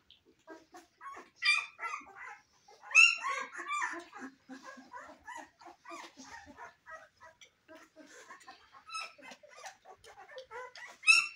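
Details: Newborn Cane Corso puppies in their first weeks: scattered high, thin squeaks and short whines come in uneven bursts, with sharper cries near the start, middle and end and quiet gaps between them.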